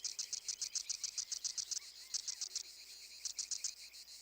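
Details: Loud din of cicadas, small insects that barely move while rubbing sound organs beneath their wings, with others farther off luring and confusing a hunter. High, rasping pulses repeat rapidly in bursts separated by short pauses.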